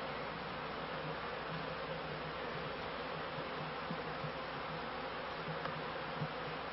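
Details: Honey bees at a beekeeper's hives at the end of the 1995 season, flying and collecting pollen; a dense, steady buzzing hum fills the air with a low droning band, unbroken for the whole stretch.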